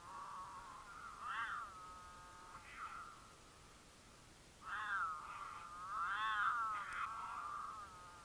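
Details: Mountain lions courting in Utah, the female in heat caterwauling to attract the male, who sometimes answers: wavering, rising-and-falling harmonic yowls, a quiet gap, then a run of louder bending wails.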